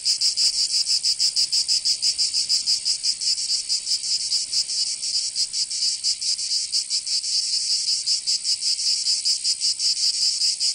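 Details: Cicadas singing in summer in Provence, southern France: a dense, high, buzzing chorus with a steady pulsing rhythm, loud and continuous throughout, nothing else audible.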